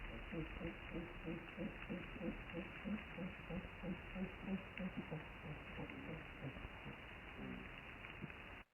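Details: Cape fur seals recorded underwater by a moored hydrophone at Kommetjie, South Africa, on 11 May 2018, give low, rapid pulsed grunts in a steady rhythmic series.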